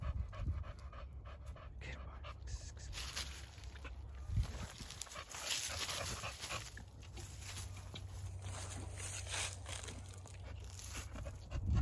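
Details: Male dog let out to run around at 35 degrees, breathing in rapid, rough pants that come in bursts, with a brief human voice and a constant low wind rumble underneath.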